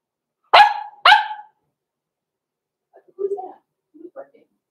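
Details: Blenheim Cavalier King Charles Spaniel puppies at six weeks, Roman and Blue, in their home pen: a pair of sharp yapping barks in quick succession, followed by soft, low murmuring sounds.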